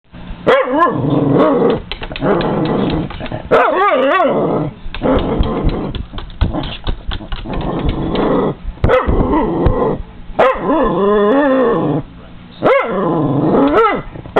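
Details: A Cairn Terrier at a window barks and growls in rapid, excited bursts at feeding seagulls and crows, its yelps rising and falling in pitch.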